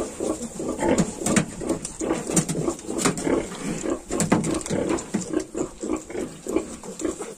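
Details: Yorkshire piglets aged 22 days give busy chorus of short grunts and snuffles, close and overlapping, with clicks and rustles of movement and a constant background hiss.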